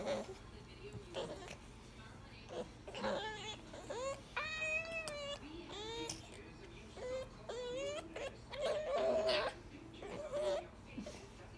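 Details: Ivy, a female pet grey fox aged 19 weeks, whines indoors in a string of high, tonal squeals, some rising and wavering, at irregular intervals, with a few words of human speech between them.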